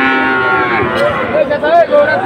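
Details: Bawling from Friesian and crossbred heifer calves at a cattle market in Dhaka, 12 August 2024: loud, wavering moos bending up and down over market crowd noise.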